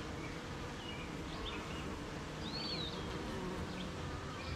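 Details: Honey bees at their beehive on a rainy morning, surrounded by gardens, farms and fields: a steady, dense low hum fills the clip, with thin whistled bird calls drifting high above it.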